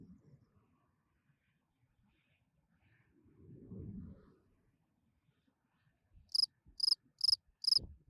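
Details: A spring field cricket sings at night, giving four quick, shrill chirps near the end after a mostly quiet stretch; this is a calling song meant to attract females.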